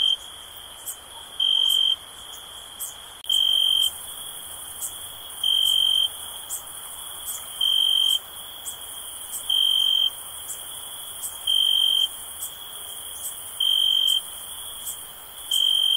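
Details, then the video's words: Cricket chirping in steady, high-pitched trilled bursts, each about half a second long and repeated roughly every two seconds, over a continuous background chorus at the same pitch with faint, higher ticking sounds. "Cricket Sounds"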